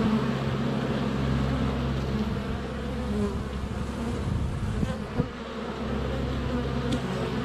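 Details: Many honey bees flying around a hive entrance in sunny February weather, GoPro Hero 7 Black under a foot away; steady low buzzing drone with wavering pitch bands and occasional soft taps as bees land on the camera.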